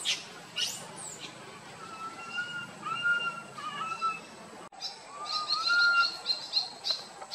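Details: Tiny monkey crying loudly while wandering with its group, a run of drawn-out whistled wails, some sliding upward. Bright, high bird twittering joins in the second half.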